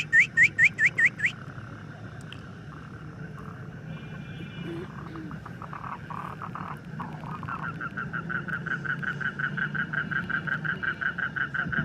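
A frog gives a quick burst of loud, rhythmic croaking pulses, followed later by a softer pulsed series.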